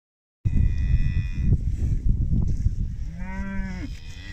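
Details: British Friesian maiden heifer from a group of 25, giving one short, deep moo near the end that rises briefly and then falls, over a steady low rumble of wind or handling noise.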